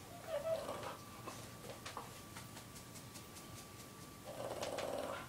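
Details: A female Boston Terrier snores quietly, giving a short rasping breath near the start and a longer hoarse snore toward the end, over a constant faint electrical hum with light ticks between.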